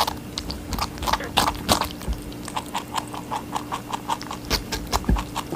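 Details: Rabbit eating watermelon, a pet chewing indoors: quick, crisp crunching clicks repeated several times a second in a steady rhythm, with a faint low hum underneath.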